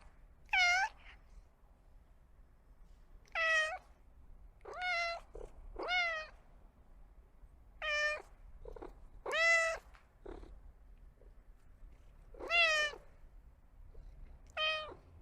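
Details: Pet cat meowing: about nine short harmonic meows spread over fifteen seconds, each rising then falling, some clipped and brief, with quiet pauses between.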